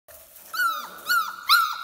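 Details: Four-week-old puppies of Teacher in a kennel whimper in three high, thin whines, each with a short bent rise and fall, roughly half a second apart and growing louder toward the end.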